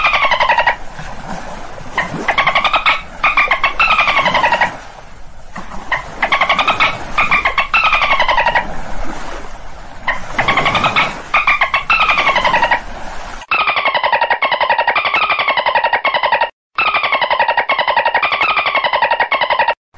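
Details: Dolphin calls repeated over and over: buzzy pulsed phrases with harmonics that rise and then fall in arching sweeps, each about two seconds long. A hissy background fills the first part, and the later part sounds cleaner and cut off at the top.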